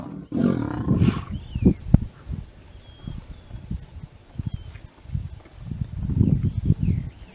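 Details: Lion mating with a lioness, heard as irregular bursts of low, rough grunts and growls, strongest at the start and near the end, with faint high bird whistles in the background.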